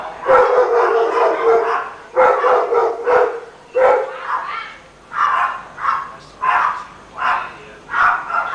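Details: A neighbour's Rottweiler, heard barking all day long, barks in deep, rough bursts about once or twice a second.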